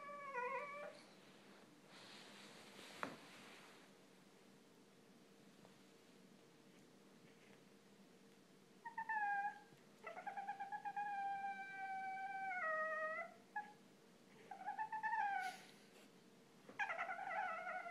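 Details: Boston Terrier, eight months old, whining for attention indoors: a few short whines early, a long quiet pause, then a run of drawn-out, wavering nasal whines, some rising and falling, with brief gaps between them.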